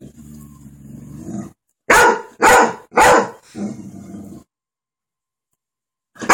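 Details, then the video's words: A Golden Retriever, barking at dogs on TV, gives a low rumbling growl, then a run of loud, sharp barks. "Lacy a golden retriever barking at the dogs on TV."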